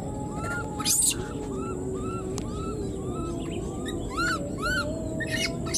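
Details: Newborn wild baby monkey left behind and calling for its mother, giving repeated short arched whistling cries, some doubled, spread through the stretch, with one sharp higher shriek early on and a constant low rumble beneath.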